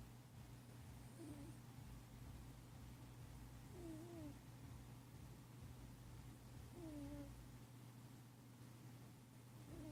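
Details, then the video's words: Pet cat Nemo asleep and dreaming of catching birds: faint wavering squeaky chirps roughly every three seconds over soft low snoring breath and a steady low electrical hum. "My cat Nemo snoring while dreaming of catching birds"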